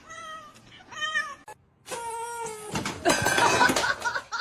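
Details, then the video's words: Domestic cat during a fight: drawn-out harmonic yowls, a steady one, then a wavering one, a brief gap, a longer strained wail, then a burst of harsh, hissing, scuffling noise to the end. "Cat Fight"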